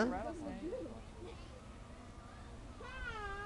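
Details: Captive bobcat at a zoo, playful and swatting at a swung bag. It gives short, bent, meow-like cries at the start, then a single drawn-out wavering call near the end, with people talking softly nearby.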